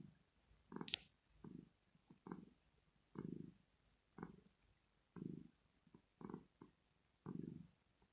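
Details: Female house cat Rosetta purring in her sleep, expressing pleasure: a rhythmic series of low rumbling pulses about once a second, mixed with light clicking ticks above.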